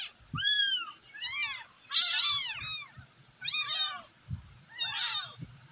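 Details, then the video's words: Rescued kittens, abandoned, cry out for their mother in loud, piercing mews that arch up then fall, about six calls in quick succession, with a few dull thuds. "Meowing kitten's calling their mom"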